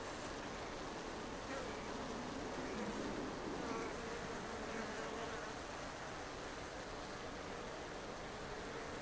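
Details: Native Japanese honeybees, Apis cerana japonica, housed in an observation hive under a shed ceiling in Japan: a steady humming drone whose pitch wavers and swells around three to four seconds, set against constant broadband noise.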